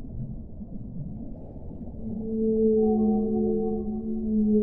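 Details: Whale song: after a murky low rumble, long sustained tonal moans rise in and hold as stacked, slightly wavering notes, with a faint higher tone above, over a dull underwater hiss.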